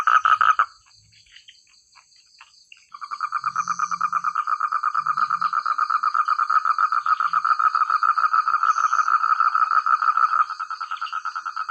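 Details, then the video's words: Frog chorus from village rice paddies: a brief burst of croaking, a quiet gap of about two seconds, then a long dense run of fast repeated croaks that softens near the end, with faint high whining above. "Suara katak terbaik,rame ,keras dsn jernih"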